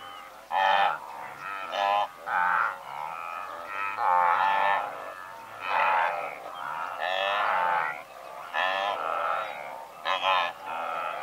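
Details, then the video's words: From a herd of several hundred, blue wildebeest make croaking, nasal honks in irregular bursts, some calls longer and drawn out, others short, over a constant background of more distant grunting. "Blue Wildebeest / MCU Calls From A Herd Of Several Hundred"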